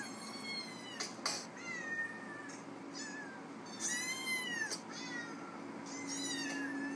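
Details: Recorded cats and kittens meowing, played back from a tablet indoors while a pet cat searches for them: a run of bright, rising-then-falling meows, several overlapping, some short and some drawn out, over a steady low hum.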